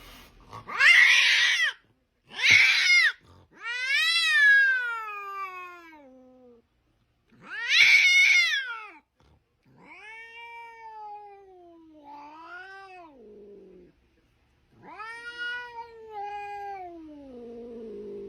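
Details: Domestic cat calling in a series of drawn-out meows and wails: two short harsh bursts, then long wavering cries that slide down in pitch, with quiet gaps between calls.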